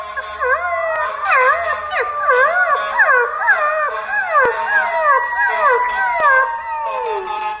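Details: Puppy howling for the first time, giving a dense run of quick, wavering, up-and-down howl notes that overlap throughout, sounding like several voices together over faint background noise.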